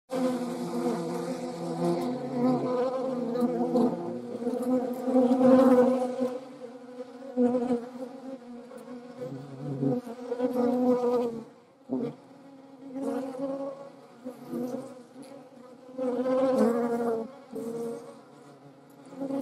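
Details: Hornet buzzing among wasps and honey bees: a steady, droning hum with stacked harmonics that swells and fades as insects fly close and away, with short gaps near twelve seconds.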